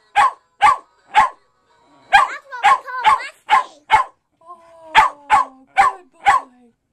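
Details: A West Highland White Terrier barks at a singing fake fish: sharp barks in quick irregular bursts, about two per second, with faint tonal warbling and a person saying no between them.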